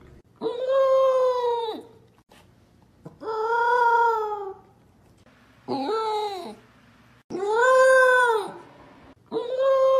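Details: A female Corgi puppy howls happily while eating, giving drawn-out, arching howls, each about a second and a half, repeated every two or three seconds; her love of food keeps her howling.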